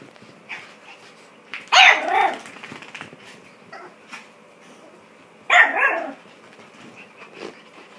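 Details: Female Chihuahua in her first clothes, very angry and trying to get them off, giving two loud harsh barks about four seconds apart with quieter grumbles and small yips in between.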